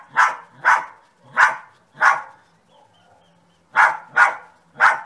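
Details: Rhythmic dog barking, four evenly spaced barks, a brief silence, then three more in quick succession.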